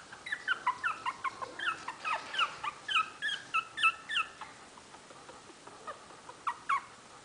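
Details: Pomeranian puppies almost four weeks old, Monte and his siblings, recorded May 25, 2008. Rapid run of high, short whining cries with falling tails, about a dozen within four seconds, then a few scattered yelps after a pause.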